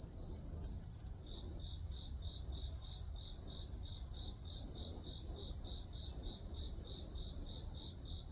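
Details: Grass insects calling as a white-noise backdrop: a steady, unbroken high-pitched trill runs throughout, with a second caller's short chirps repeated about two to three times per second, and a soft low rumble underneath.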